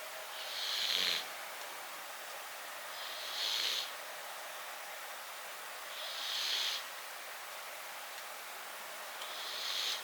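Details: Close-up snoring of Riki, a tabby-and-white house cat: soft hissing breaths, each about half a second long, recur roughly every three seconds against a quiet room hiss.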